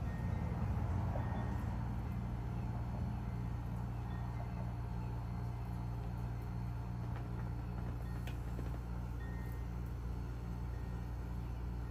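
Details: Constant deep vehicle drone with faint background music and a few soft clicks, no animal sounds.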